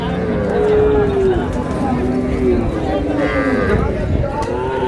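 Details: At Raniganj market in Dinajpur, where cows are sold with their calves, soft wavering lowing tones slide downward beneath constant crowd noise and voices.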